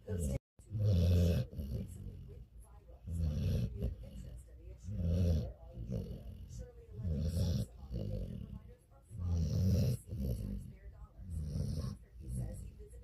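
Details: Sleeping dog snoring, low rumbling snores rising and fading in slow, uneven bursts about every two seconds, with soft breathing between them.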